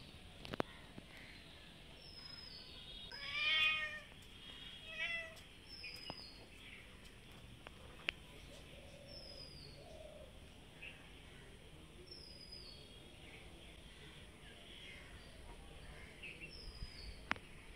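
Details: Hungry cats waiting for food outside in the afternoon; a loud, drawn-out harmonic meow rises then falls, followed by a couple of softer shorter meows, while faint high bird chirps sound in the background.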